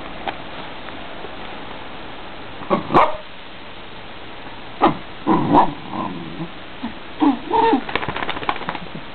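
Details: Peter, a pet Dachshund, squeaking and whining because he wants his owner's lap: brief high squeaks and soft whimpers in scattered clusters over a steady background hiss indoors.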